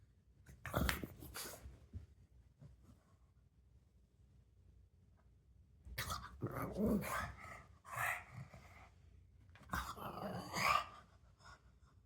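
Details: Gizmo, a pet pug, making funny sounds while playing indoors: a sharp bark near the start, then after a quiet stretch bursts of growly, grunting vocalizations and short yips, with soft rustling between them.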